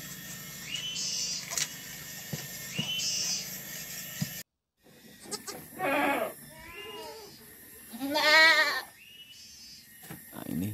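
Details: Goats on a village farm in Muncang, Sodonghilir, Indonesia, where six kids were born in one day; newborns still bloodied, soon standing. Several wavering, nasal bleats of varying length rise and fall, amid a man talking and background noise.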